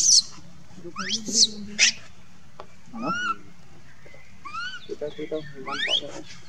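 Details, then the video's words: Young pet monkey crying and calling for its mother: a series of high, thin, whistled cries sweeping upward, some with stacked harmonic tones beneath, given in irregular bursts with short pauses between, over a low steady background hum. "Monkey Lucie Crying Call mom"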